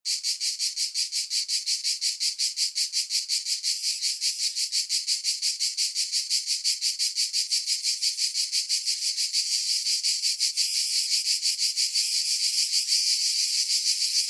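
A cicada's loud, high buzzing song, pulsing steadily a few times each second without pause.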